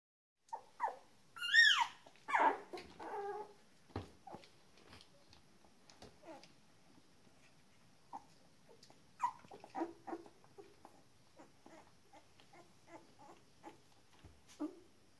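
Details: Shetland Sheepdog puppies, 19 days old, giving scattered short whimpers and squeaky yelps, some loud and rising, most soft and irregular, with quiet pauses between.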